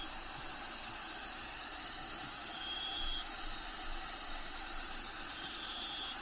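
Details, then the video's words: Crickets inside a bearded dragon vivarium housing a dragon named Diego, with natural habitat sounds playing in the background: a steady, unbroken high-pitched trill runs throughout, with faint higher whistles near the middle and end. "RELAXING SOUNDS CRICKETS"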